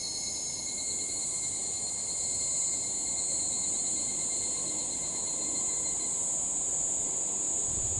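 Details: Evening cicada sound at nightfall: a constant bright, shrill buzz high overhead with steady tonal lines fading out after about six seconds, accompanied by low ambient noise.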